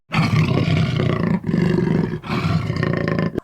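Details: Jaguar roaring: three long, deep, rough roars in succession, each over a second in length, heavy in low tones, separated by brief breaths.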